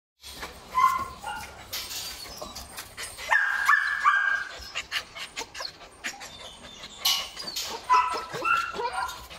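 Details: Imported male Belgian Malinois kept as a breeding sire at a Vietnamese kennel: irregular bursts of sharp barks mixed with high whimpering yelps, with clattering and rustling noises between them.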